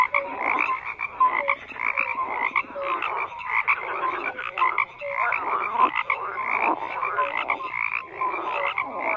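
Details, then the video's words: Massed frogs croaking together: rough pulsed calls stacked in layers, recurring short tonal notes, and a chorus that throbs in waves roughly once a second. "FROGS CROAKING"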